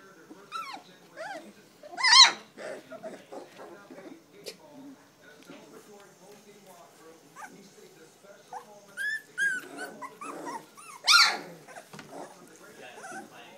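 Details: Standard poodle puppies, three weeks old, giving two loud, sharp squealing yelps about nine seconds apart, between quieter whimpers and rustling, while a person speaks nearby.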